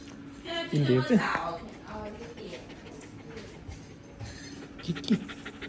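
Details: Kiki, a dog who came to visit again and was a bit nervous, panting in quick breathy puffs, about three per second, while a person's voice talks briefly over it near the start and again near the end.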